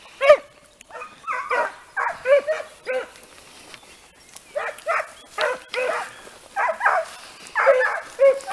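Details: Several Italian Segugio hounds in hare-training work give short, hoarse bays in irregular bursts, some clustered and some single, over a quiet outdoor background.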